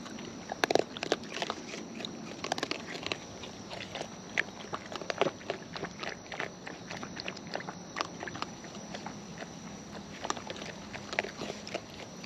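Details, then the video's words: Wild raccoons eating up close, natural chewing: irregular crisp clicks and crunches scattered throughout, some in quick bursts, over a steady low hum. "Wild Raccoons & ASMR Chewing Sounds"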